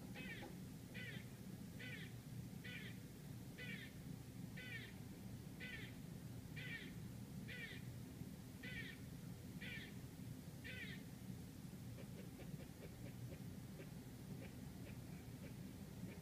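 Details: A squirrel gives harsh, chirping barks about once a second over a steady low city rumble, outside an apartment in Manhattan, New York City.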